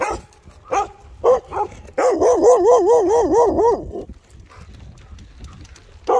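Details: Guard dog barking: three short, sharp barks are followed by a drawn-out, wavering, yodel-like vocalisation that rises and falls rapidly for about two seconds. A quieter stretch follows, then another bark starts at the end.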